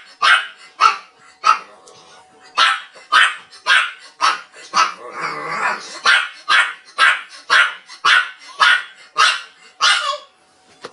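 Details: Dog barking in a rapid, steady series of short, sharp barks, about two per second, with brief pauses near the middle and a final bark trailing off; faint music underneath.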